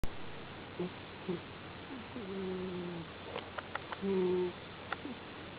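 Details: White cat still asleep in the evening, snoring indoors: soft, low, tonal wheezing breaths drawn out for about half a second to a second, with faint clicks and quiet room noise between them.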